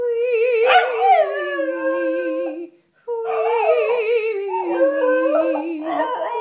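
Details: Pet corgi howling along with its owner's vocal warm-ups: two long, wavering, sustained howls, each wobbling and gently falling in pitch, separated by a brief silence, with the second howl breaking into rising and falling yelps.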